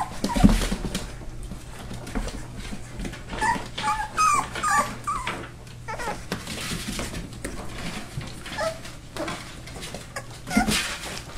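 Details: Several four-week-old Labrador and hound mix rescue puppies indoors in Maryland, giving scattered thin whines and squeaks among shuffling, bumping and rustling sounds, over a constant low hum.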